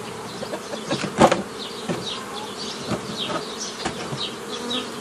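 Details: Honey bees during the forming of nucleus colonies from a collected swarm, 15 May 2018. A continuous buzzing drone, broken by a loud knock near the start and a few lighter knocks, with high bird chirps overlaid.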